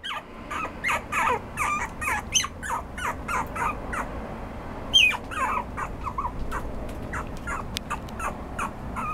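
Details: Toy Poodle with a red coat yipping and whining insistently, short squeaky notes repeated about twice a second, one sharper high squeal midway, with a low background hum underneath.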